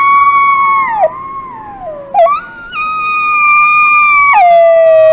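A wolf gives long, clear, high howls that slide down in pitch and then hold steady.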